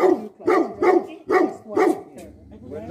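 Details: Tibetan Mastiff, called Bhote Kukur, a guardian dog in Nepal, giving five deep, rough barks at about half-second intervals, then a quieter low grumble and faint background noise.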